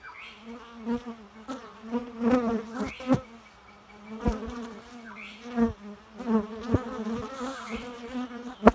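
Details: Bee giving a steady low drone with rich overtones. The buzz swells and fades as it moves about, broken by frequent sharp clicks and taps close by.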